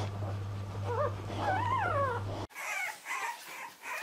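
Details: Bulldog puppy giving a couple of thin, rising-and-falling whimpers over a steady low hum, then the sound cuts to quieter, muffled squeaks.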